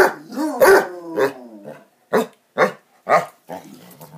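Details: Basset Hounds playing, several barks and harmonic yelping howls in quick succession, some with clear rising and falling tones, separated by short pauses and soft growling between them.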